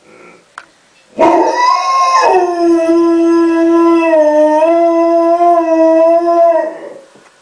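A husky-type dog gives a sustained, harmonic howl that starts higher, drops, then holds steady for several seconds.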